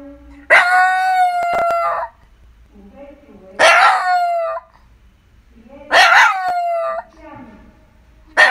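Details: Shiba Inu at home howling repeatedly, four abrupt ringing wails roughly every two to three seconds, each briefly held then dropping away, with soft whimpers in the gaps.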